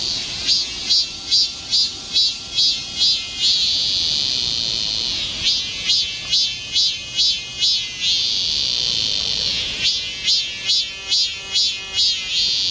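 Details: Summer cicadas singing together in the Galsan Park woods in Seoul, Korea: rhythmic buzzy pulses roughly two per second in long runs, alternating with a continuous high drone between runs.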